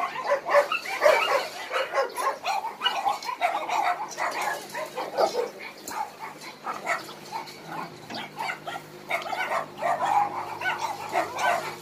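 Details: Many dogs barking together at an abandoned-dog rescue shelter in Daegu; dense, overlapping barks and yelps continue without a break, with sharp bursts every fraction of a second across the whole stretch.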